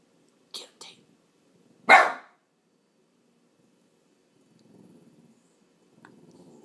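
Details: Watchdog Boston terrier frenchton lets out two short clipped sounds, then one strong broad bark, with soft murmured speech afterwards in an indoor room.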